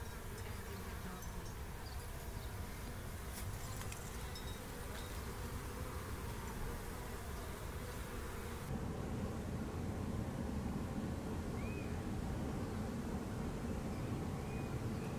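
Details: Calm, friendly swarm of honey bees, newly caught into a small beehive and handled without protection: dense, continuous low buzzing hum, steady in loudness, with a slight change in tone midway and a few faint, distant bird chirps.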